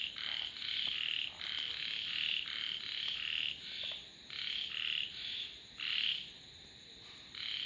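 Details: Frogs calling in a dense chorus, overlapping bursts of high rasping croaks about half a second to a second long, repeated almost without pause, with a faint steady high hiss throughout.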